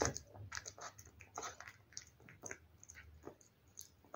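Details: Domestic cat feeding on wet food: wet, squishy chews and soft crunches come in short clustered bursts several times a second, set in a quiet small room.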